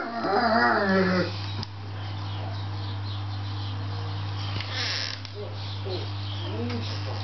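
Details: A dog howls in a wavering, tremulous harmonic voice for about a second, the pitch sliding up and down, then falls silent while a steady low electrical hum continues with faint scattered noises.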